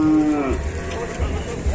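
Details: Cattle on an Indonesian cattle farm, where a day-old Limousin calf is present, giving a short harmonic moo: a steady tone that then slides downward, over a low rumbling hum and nearby talk.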